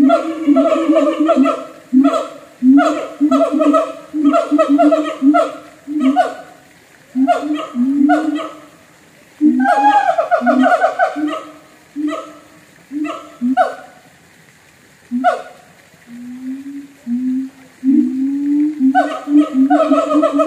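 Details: A siamang at a North Lombok zoo gives loud, harmonic barking hoots in a rapid series, with rising, swooping whoops mixed in.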